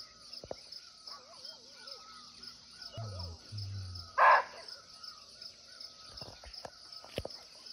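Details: Single sharp, explosive bark from a barking deer (muntjac) in a Nepal forest, recorded nearby while out of sight; a continuous high insect buzz, wavering bird whistles and low muffled thuds surround it.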